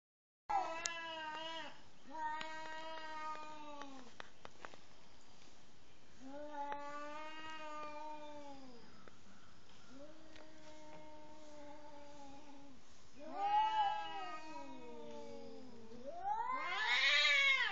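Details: Two cats facing each other before mating, one expressing anger; long drawn-out wailing howls, several rising and falling yowls of about two seconds each with short pauses, ending in a louder, higher, wavering cry.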